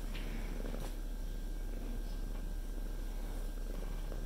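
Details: Pet cat sitting on its owner's lap while the owner tries to work, indoors; steady low rumbling purr throughout with rhythmic pulsing and a few faint clicks.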